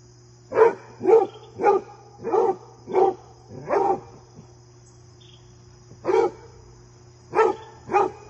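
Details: Fred the basset hound gives loud, deep, resonant barks while his deer friend visits. Six come in a fairly even run, then after a gap three more are spaced out. A low background hum is present.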